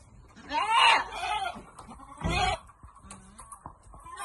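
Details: Goat on Amang Victorio Goat farm during vitamin dosing gives one quavering bleat, followed by a short rough burst and quieter shuffling and voices.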